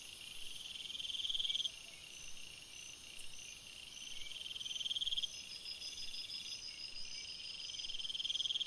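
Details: Night forest crickets keep up a dense high-pitched chorus; short pulsed trills swell and stop roughly every few seconds, layered over constant bright insect buzzing in the background.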